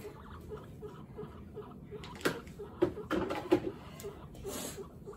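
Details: Several pet guinea pigs rumble in a steady string of soft, low pulses while hanging out and having fun during a cage clean with paper bedding, with bedding rustling and a broom sweeping nearby.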